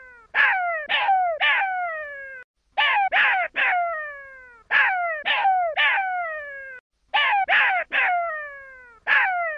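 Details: Jackal pup repeating clusters of three shrill, downward-sliding yelps that fade into thin whines, four groups in steady succession with brief silences between them.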